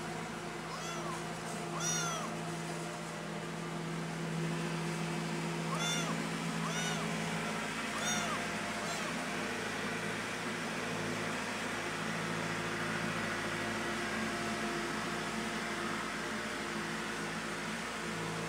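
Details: Pretty, a cat, meowing loudly while missing its mother: about five arched, rising-falling meows come in the first nine seconds, then stop, over a constant low hum and background noise.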